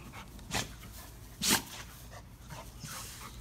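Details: Saucy, a nearly two-year-old black Labrador Retriever, barking on bath day beside Bess; two loud, sharp barks about a second apart, then softer breathy noises and a low indoor hum.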